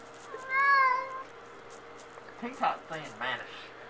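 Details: Shut in the bathroom at night, Tux the cat wants out and lets out one clear wavering meow, then a person's voice calls his name in the small room.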